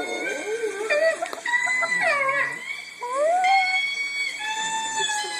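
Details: A pet female Chihuahua howls indoors at a playback of her own howling, in long wavering tones that bend up and down, overlapping with the howls from the played-back recording.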